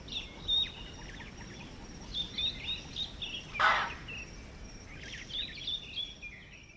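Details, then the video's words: Alarm chuff of an impala reacting to a nearby predator in Manyeleti Game Reserve, South Africa: a single sharp, explosive snort midway, surrounded by steady high chirping from several birds in the bush. "Impala Alarm Call - The sounds of Impala calling in response to a predator"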